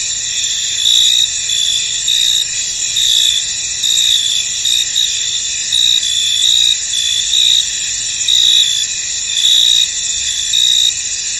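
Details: Chorus of crickets in a foggy field: shrill, steady high trilling with louder pulsed bursts recurring about every second, layered callers overlapping without pause.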